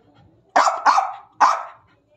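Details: An angry German Spitz gives three sharp, high barks in quick succession, the first two almost run together.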